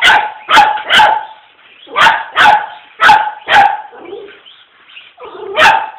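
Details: A mini poodle confronting an RC car gives a rapid series of high, punchy barks, often paired, about two every second, with a brief softer whimper near the end.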